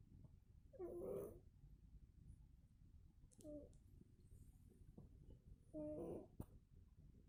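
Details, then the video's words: Sleeping domestic cat snoring like a man indoors: three rough, breathy snores about two and a half seconds apart, each a short husky rasp, with a quiet room between them. "Кошка храпит как мужик"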